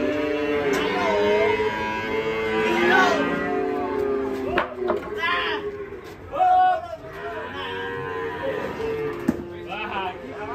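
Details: Agitated cattle, on the rampage after stepping off a truck into a ditch, moo repeatedly: several drawn-out, bending lowing calls spread across the recording, with people talking and shouting close by.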